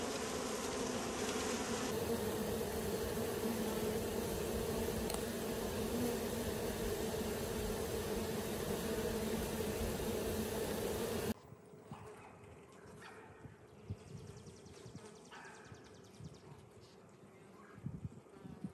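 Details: Bees at work, from recent or year-old footage: a loud, even, droning buzz for about eleven seconds, then an abrupt cut to a much quieter stretch with faint buzzing and a few soft knocks.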